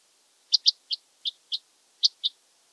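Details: Oedipoda germanica, the red band-winged grasshopper, recorded in Mörnsheim, Germany, on 14 July 2023, giving seven crisp, high clicks within two seconds, some closely paired, against silence.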